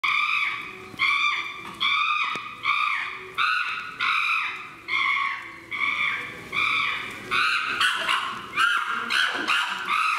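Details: Chimpanzees at Higashiyama Zoo, Aichi, Japan, on 18 November 2017 give loud, high, arching hoots and screams, repeated in a rapid, rising chorus.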